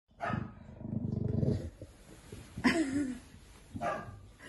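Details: Rosco, a pet bulldog, grumbles crossly while getting involved with the laundry at home: a low, rumbling growl for about a second and a half, then two short, brighter yelping barks.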